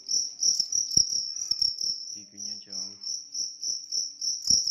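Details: Shrill high chirps from a large cricket, pulsing several times a second, with a brief low voice-like sound and a few knocks in the background.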